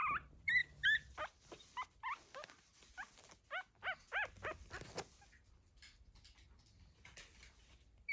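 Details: Two-week-old pug puppies, first walking, make small noises while the mother guards them. About a dozen short, arched squeaks are repeated roughly three per second for five seconds. Then only soft rustling remains.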